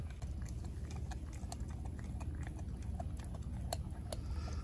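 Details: Denali, a four-month-old female American Blue Bay Shepherd puppy, gnaws a raw turkey neck; sharp irregular crunching clicks, roughly one or two per second, over a steady low indoor rumble.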